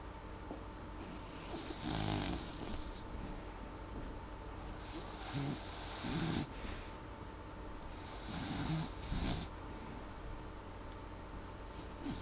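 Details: Molly, a dog asleep and snoring gently rather than loudly: three clear rasping breaths, spaced about three to four seconds apart, each with a low rumbling core, over a quiet steady hum.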